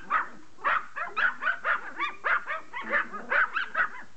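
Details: Pomeranian pleading for a game of catch, letting out a fast run of sharp, bright yaps, about one every half second, steady and insistent with no other sounds.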